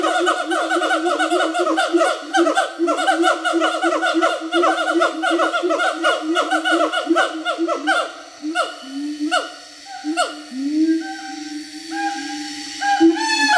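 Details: Siamangs in Bukit Barisan Selatan National Park, Sumatra, giving a counter call: rapid series of loud, downward-sweeping barking notes repeated many times per second, slowing into spaced longer swooping calls toward the end.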